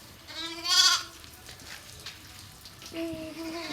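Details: Sheep at a village farmhouse bleat in two harmonic, wavering cries: a loud one early and a softer, steadier one near the end, with quiet outdoor background and a man's voice before.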